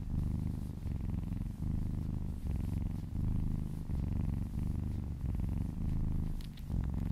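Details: Low, buzzing purr of a kitten enjoying a massage, breath-paced swells about every second, with a few small clicks and rustles near the end.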